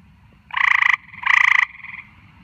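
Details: Frog at night giving two loud, rapidly pulsed rattling croaks in quick succession, each about half a second, followed by a softer trailing rattle, with a quiet low background rumble.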